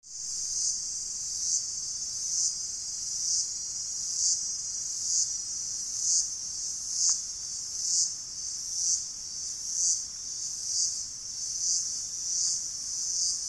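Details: Powerful cicada calls among gigantic trees on the lower slopes of Rinjani: a shrill, unbroken buzz that swells in regular pulses about once a second.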